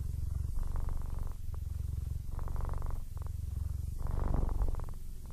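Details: Male Siamese cat, 15 years old and almost blind, purring contentedly indoors: a low rumbling purr that swells and fades in breathing cycles roughly every one and a half seconds, growing louder toward the end.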